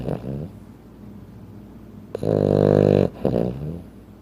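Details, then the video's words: Sleeping Frenchton dog weighing 15 pounds, snoring indoors: three rough, harmonic-rich snorts, a short one at the start, a loud sustained rasp for nearly a second, then a shorter follow-up, with quiet breathing between. "Frenchton Sleeping Sounds"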